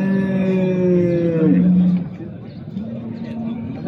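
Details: Fattening calves, small and large, at the Souk Sebt livestock market in Settat, Morocco: one long, steady, low moo lasting about two seconds that bends downward at the end, followed by market chatter and background bustle.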